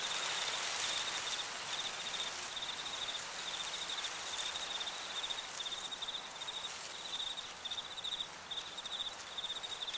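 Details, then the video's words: Autumn cornfield crickets sing a continuous train of high, clipped chirps at about two per second, unbroken across the clip, backed by soft wind and leaf-rustle hiss. "Fall Cricket Sounds"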